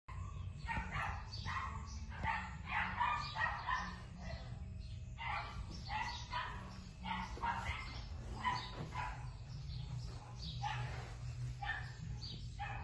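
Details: Female Keeshond puppy: a busy run of short, sharp yapping barks and yips, coming in quick bursts several times per second with brief gaps, over a constant low mechanical hum.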